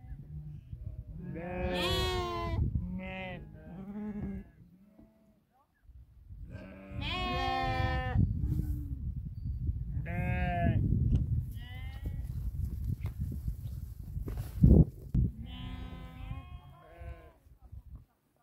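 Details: Sheep from a herd of 2000 tended by eight Tibetan Mastiffs in Nepal; repeated quavering bleats from several animals in bursts, a quiet gap near five seconds, low rumbling and a sharp knock around fifteen seconds.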